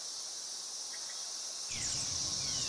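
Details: Millions of 13-year periodical cicadas, only the males calling, make a dense, steady, high-pitched shrill droning together, with a man's voice joining partway.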